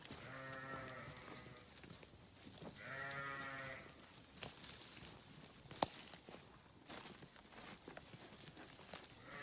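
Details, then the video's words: Sheep grazing on a farm: two bleats, each about a second long, wavering and rich in harmonics, two seconds apart, then grazing rustles, a sharp click, and a faint bleat at the close. "Sheep Video | Sheep Grazing | Sheep Farming | Sheep Sound"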